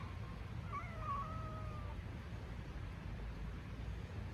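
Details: Hungry stray street cat in Istanbul giving a single faint, drawn-out meow that wavers and slides downward over about a second, then a low steady background rumble.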